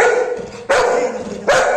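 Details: Pet Golden Retriever Anna, cross that her hot rice is taking time to cool; a short grumbling whine followed by two sharp, strong barks close together.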